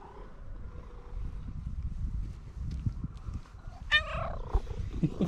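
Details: Fluffy orange female cat, running over happily to greet a person she knows, meowing, trilling and purring. A steady low rumble runs throughout, then one clear, harmonic-rich meow sounds near the end, followed by softer bursts.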